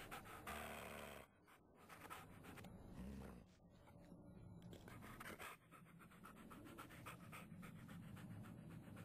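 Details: Panting puppy affected by shaking puppy syndrome: quick, regular huffs of breath, dense and hissy, continuing almost without a break after a short pause near the start.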